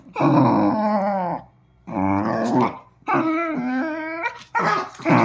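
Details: Dachshund, one of two dogs named Kiko and Choco, growling in long wavering, moaning bursts with a warbling pitch, four grumbling phrases separated by short pauses, indoors with no other clear sounds.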